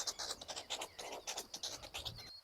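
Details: A meerkat gives harsh, rapid, repeated alarm barks warning of a ground predator, a black-backed jackal approaching.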